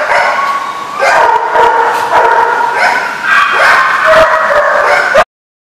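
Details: Dogs barking on 7/3/15, with a loud, continuous run of overlapping barks and yelps that ends abruptly.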